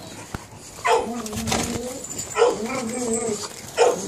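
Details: Perro de Presa Canario puppies, 72 days old, giving drawn-out, harmonic yelping calls about every second and a half, each starting sharply and sliding slightly in pitch, with a faint background hiss.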